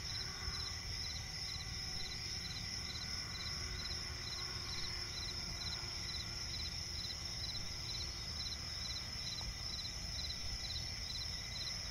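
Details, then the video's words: Night chorus of crickets in swampy forest, a continuous shrill trill joined by quick repeated chirp pulses that run without pause, with a soft low hum underneath. "cricket chirping relaxing sound in night forest"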